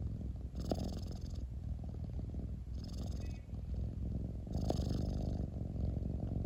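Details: Domestic cat purring loudly, a deep continuous low rumble with regular breathing cycles; inhalation phases bring brief airy hiss, about three breath cycles heard, close-up and steady.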